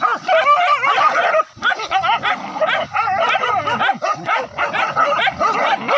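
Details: Village hunting dogs bay at a wild boar during a chase from hillside forest down to a river; several dogs yelp and bark at once in rapid, pitch-bending cries, with a short lull near the middle.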